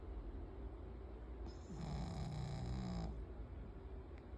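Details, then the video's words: Spitz dog snoring: one drawn-out, low rasping breath lasting about a second and a half, carrying a faint rising tone, set against a steady low background hum. "SPITZ RONCANDO!"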